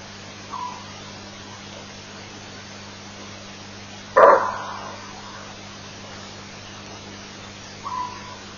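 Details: Greater kudu giving an alarm bark at an elephant at Elephant Plains on 23 August 2008, picked up by a live-stream camera: one loud, harsh bark midway, fainter short calls near the start and end, steady electrical hum throughout.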